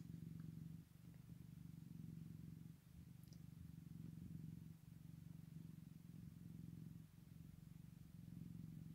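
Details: Continuous deep purr with newborn Scottish Fold kittens on day one, pulsing evenly in long breaths with brief dips, quiet and close.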